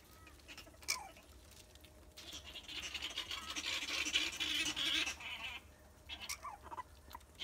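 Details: Grey-headed flying-foxes Shannon and Twinkles in a play fight inside a rehabilitation aviary, Shannon a juvenile recovering from a pinned fractured tibia; a dense, shrill chattering squabble swells for a few seconds, bracketed by sharp isolated squeaks and rustling.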